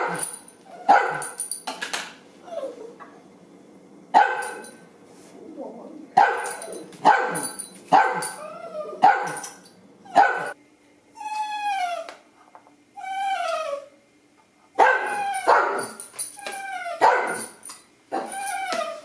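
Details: Pet dachshunds begging for their breakfast of canned food, kibble and farro: clusters of sharp barks alternate with high, drawn-out whines that slide downward, then the barking resumes at a quick, irregular pace.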